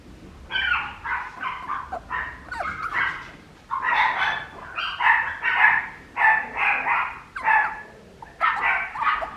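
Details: Papillon puppy giving a steady series of short, high, nasal yips and whines, roughly one every second, in bursts of two or three, over a low background hiss.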